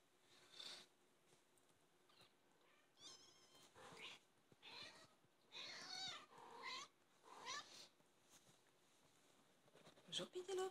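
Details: British Shorthair kittens, 24 days old, give thin, high mews in short bursts, several overlapping.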